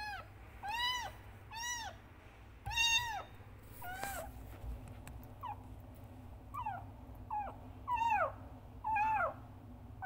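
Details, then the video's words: Loud calls from Frangky, a kitten crying for its mother: bright arched meows repeated about once a second, the later ones thinner and shorter, over low background rumble and faint music. "Anak Kucing Frangky Mengeong Dengan Keras Memanggil ibu kucing"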